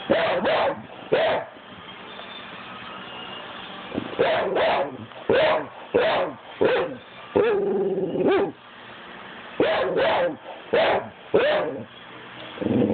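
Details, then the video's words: Pit bull barking for no apparent reason: about fifteen loud, harsh barks in uneven bursts, often in quick pairs, with a drawn-out, wavering bark near the middle, over a steady background hum. "Crazy pit bull barking for no reason"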